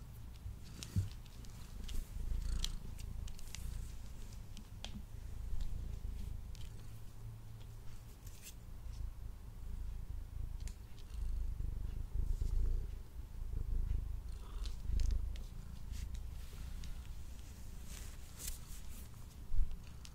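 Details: A male house cat purrs loudly while eating indoors, captured with a Blue Yeti microphone. The rumble is strong and unbroken, swelling and easing slightly, with occasional soft ticks of chewing.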